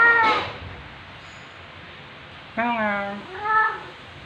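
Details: Black female house cat in heat, indoors at home on a September 2020 afternoon, calling as her owner arrives: after a short noisy burst and a pause, two harmonic meows, the first drawn out and level, the second shorter and rising.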